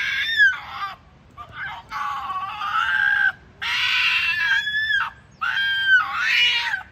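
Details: At a Kitami fox farm, an Ezo red fox mother and her young make rare calls: a run of long, raspy, harmonic screams, some wavering and some sliding down at the end, broken by short silences.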